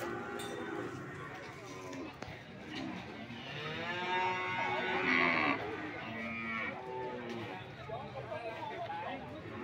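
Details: PO cattle for sale at Sokaraja market, Banyumas: a crowd of cattle giving long, harmonic moos that overlap and rise mid-clip, amid steady market voices and bustle.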